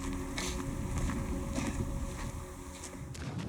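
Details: Rumbling wind-like noise with creaks and scuffing footsteps and no animal call.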